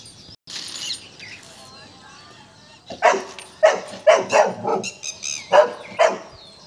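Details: Golden Retriever frightened by a peacock. Soft background sounds fill the first three seconds, then a quick series of about seven sharp, loud barks follows in uneven bursts.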